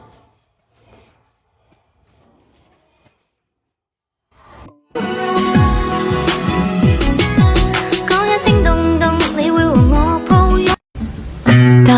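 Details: Near-silence with a few faint soft knocks for about five seconds, then loud pop music with singing fills the rest, cut by a brief gap near the end.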